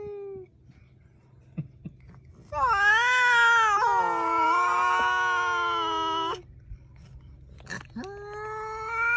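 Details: Domestic cat giving a long, loud, drawn-out meow lasting about four seconds, steady and slightly wavering, followed by a shorter rising meow near the end; quiet room background with faint clicks between calls.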